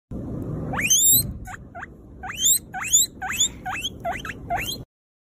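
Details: Guinea pig exploring, giving about nine sharp, squeaky whistles that sweep steeply upward, some with a short lower note before them, coming in uneven bursts over five seconds with soft rustling underneath.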